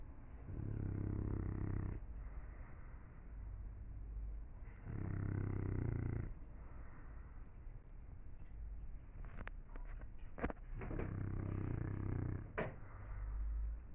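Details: Sleeping English Bulldog gives three heavy, vibrating snores, the first two about four seconds apart and the third after a longer pause. A few sharp clicks and knocks come between them.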